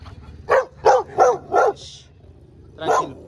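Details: Street dogs encountered while a Dogo Argentino is walked outdoors: a run of four loud, harsh barks about every third of a second, a brief pause, then one more bark; faint background noise.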